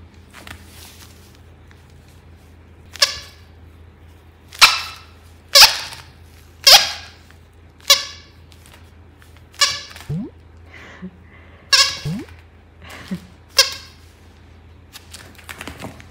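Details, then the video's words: Maltese dog named Jaerong, described as a very talkative puppy, gives a series of short harmonic yips and barks roughly every second, some with sliding pitch, in a quiet room with a low steady hum. "말을 너무 잘하는 강아지"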